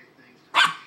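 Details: A small dog being teased with a toy gives one sharp, loud bark after a short quiet stretch; a faint hum runs underneath.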